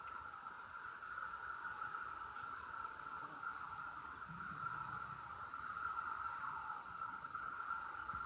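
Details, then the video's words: Loud cicadas give an unbroken, steady buzzing drone at a middle pitch, with faint, high ticking pulses repeating a few times per second above it. No other clear sounds are heard. "More Sounds of the Cicadas"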